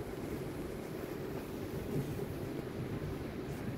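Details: Steady low wind-like rumble with no animal voice anywhere.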